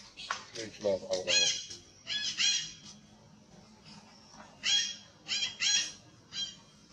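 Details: Aged monkey, hurt, giving harsh, high screeching cries in short clustered bursts, with lower squawky notes near the start and brief pauses between groups.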